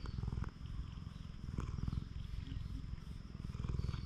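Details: Stray cat on a cat island in Japan purring steadily while its body is stroked, recorded on a GoPro HERO8; a low, rapid rumbling pulse continues throughout with faint handling rustles.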